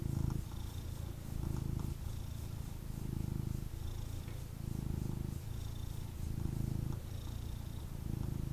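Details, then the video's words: Snuggling male kitten held in his owner's arms, purring steadily in a low throbbing drone that breaks into breath-paced phrases about a second long, alternating in and out with soft gaps. "Kitten Purrs and Snuggles"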